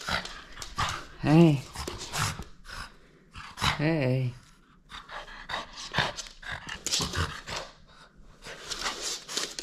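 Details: Playful French Bulldog holding onto a toy and not letting go, giving two brief low moaning grumbles a few seconds apart amid snuffling and panting, while a person asks to borrow the toy.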